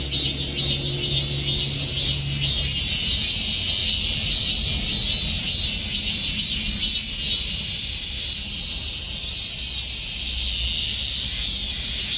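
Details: Continuous high-pitched cicada buzzing, pulsing in early seconds then settling into a steady sizzle, with a low hum at the start and a rumbling undertone throughout.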